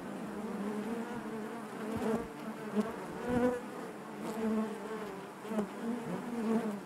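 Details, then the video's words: Honey bees buzzing inside their hive: a dense, continuous hum with a steady low drone and harmonics above, swelling and fading in soft pulses, with brief clicks and knocks from the colony. "bees therapy hive natural buzzing sound"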